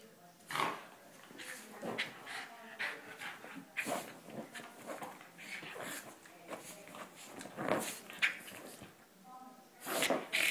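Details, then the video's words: Cairn Terrier frisky after a bath, snorting and huffing in short bursts with breathy puffs, irregular across the clip, a brief higher squeaky tone near the end. "Max gets frisky after his bath"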